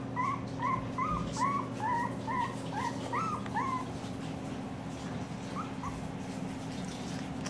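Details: Two-week-old Siberian Husky puppies from a 2016 litter, just opening their eyes and crawling around; a quick series of thin, upward-sliding squeaky whimpers, about two per second, over a steady low electrical hum.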